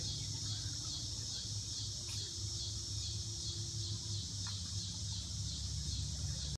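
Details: A steady, high, hissing insect chorus drones on without a break over a low rumble at Kankakee River State Park.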